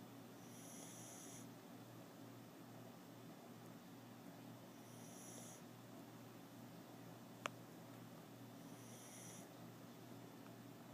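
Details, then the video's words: Kona, a sleeping foster dog from Red Collar Rescue, makes baby snore noises: thin, high, whistly snores roughly every four seconds, each lasting about a second, over a steady low indoor hum with one sharp click. "Doggie Baby Snores"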